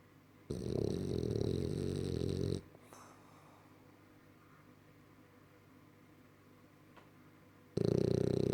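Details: Roger the French bulldog snoring indoors: a two-second burst of harsh, pulsing rasp, then a long quiet gap with faint rustles, and another loud snore starting at the very end.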